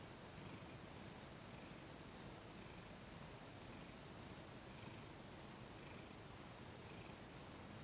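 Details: Thomas the cat, cooperative during his first full massage in December 2021, gives a soft continuous low purr, with faint rhythmic breathing cycles of roughly one per second over a hushed indoor background.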